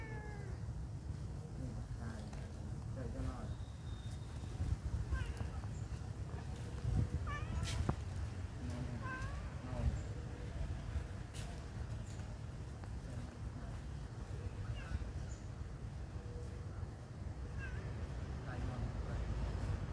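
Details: Friendly pagoda cats meowing repeatedly, short bent mews scattered through the stretch, mixed with human voices and a steady low hum.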